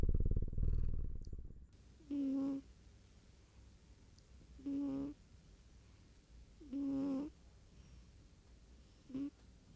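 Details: Sleeping pet cat snoring indoors: short, low, tonal snorts with a buzzy edge, each about half a second long and repeated roughly every two and a half seconds, after a louder rustling start; quiet room hum between breaths.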